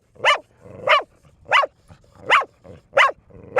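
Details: Six evenly spaced barks, one about every 0.65 seconds, from Bear, a four-year-old female pet dog teased into barking nonstop for two minutes.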